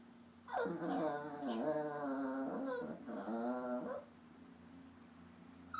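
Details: Popcorn, a papillon mix, sulks indoors while upset, voicing two long wavering whines of about one and a half seconds each, pitch sliding down then up, with a short gap between them.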